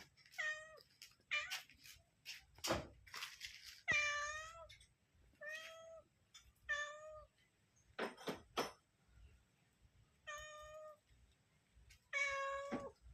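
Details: Mother cat calling out while searching for her kittens; clear, rich harmonic meows repeated every one to two seconds, each steady then slightly falling, with sharp clicks and knocks in a small quiet room.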